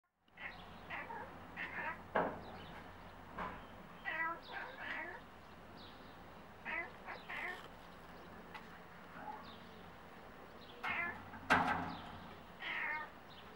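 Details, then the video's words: A cat talking to birds: scattered short chirping and meow-like bursts, some clustered in quick twos and threes, with a few sharp clicks and a steady low hum underneath. "Cat Hercules talking to birds"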